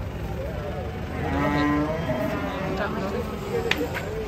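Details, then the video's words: Cattle being unloaded from a truck, described as raging and refusing to come down; a single harmonic moo of about half a second rises over constant crowd chatter and background vehicle noise. "SAPI NGAMUK RAK ATURAN TURUN DARI TRUK"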